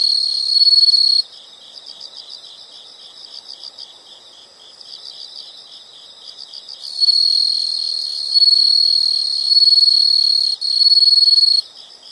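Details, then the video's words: Insects trilling in a calming nature soundscape: loud bursts of continuous shrill trilling alternate with quieter, rhythmic chirping pulses at about four per second, the loud trill returning for several seconds before fading. "the sound of insects"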